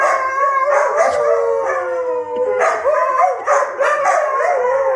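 Several Siberian huskies howl together, their long wavering voices sliding up and down and overlapping.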